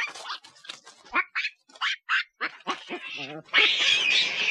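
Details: Loud monkey sounds: quick, uneven series of short barking chirps and squeaks, a brief buzzy rattle, then a sustained harsh, shrill screech to the end.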